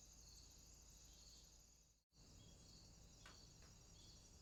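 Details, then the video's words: Swamp crickets at night: a dense shrill chorus with fast pulsing, cut by a brief dropout to silence before resuming, with a couple of short tapping sounds near the end. "Crickets, swamp sounds at night"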